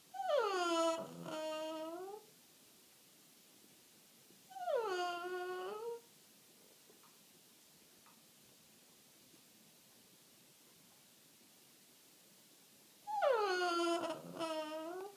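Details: Boston Terrier, 1 year 4 months old, whines in drawn-out, wavering bursts in the morning, begging for his owner's coffee, with quiet pauses between each plea.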